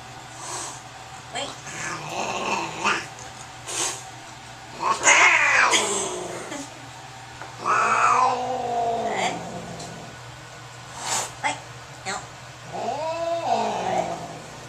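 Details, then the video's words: Angry cat during a vet visit, freaking out on the examination table, letting out long wavering howls and screams between short hisses, with quiet pauses and a few words from people in the small room. "ANGRY SCREAMING DEMON CAT AT THE VET."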